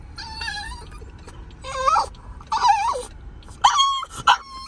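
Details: French Bulldog throwing a tantrum in a car, letting out several wavering high whines and yelps in quick bursts, rising and falling, over low engine rumble.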